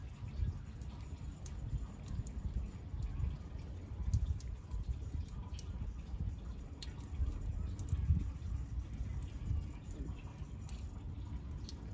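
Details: Low, steady rumbling background noise with faint scattered clicks, and no animal voice. The sound stays muffled and even throughout.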